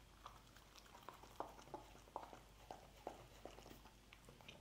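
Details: Dog eating scrambled egg indoors: wet, sharp chewing clicks at a steady pace, roughly two or three per second, with soft lapping between bites in a quiet small room.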